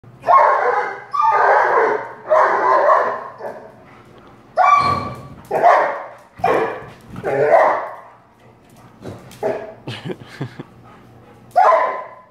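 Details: Prada, a friendly, chubby two-year-old female black Labrador Retriever, goes crazy playing with balloons, giving a run of loud, harsh barks in uneven bursts, some drawn out, with sharper yelps and small squeaky noises toward the end.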